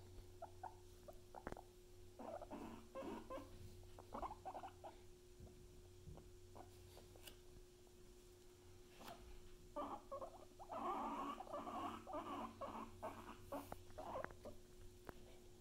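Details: Pet guinea pigs Luna and Chip making clusters of quick, squeaky mid-pitched bursts in two spells, the later one louder and fuller, with quiet gaps and a constant low hum underneath.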